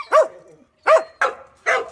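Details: After a walk, the dog Cheondungi lets out four quick barks in under two seconds, the first two higher and arched, the last two rougher and flatter.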